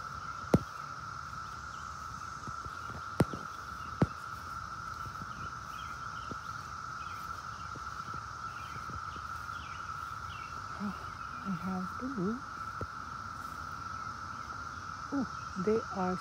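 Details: Many cicadas clustered on a tree give a steady, unbroken droning whine with a fainter high hiss above it. A few sharp clicks sound early, and a person's voice comes in near the end.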